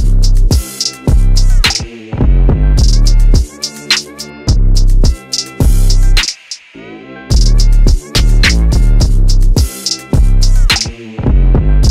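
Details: Loud electronic music with a heavy drum-machine beat and bass, broken by short pauses; no animal voices are heard.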